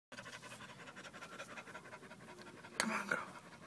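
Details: Female dog named Venice panting rapidly while giving birth to puppies; quick, even breaths run steadily throughout, then a woman's voice briefly breaks in near the end.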